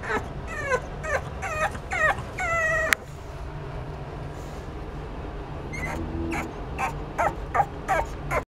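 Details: Boston terrier puppies whimpering: a quick series of high, falling whines in the first three seconds, a pause, then more brief yips and whines over a low steady hum.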